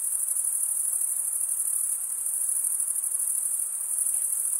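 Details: Dense, high, buzzing trill of stridulating crickets, mostly males rubbing toothed wing veins together, steady and continuous with a faint pulsing texture and soft background noise.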